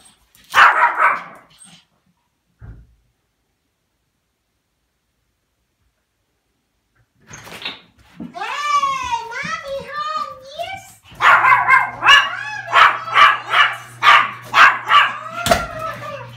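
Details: Pomeranian puppy excited as its owner comes home from work, jumping around; after a quiet stretch come high wavering whines, then a run of sharp yipping barks about twice a second.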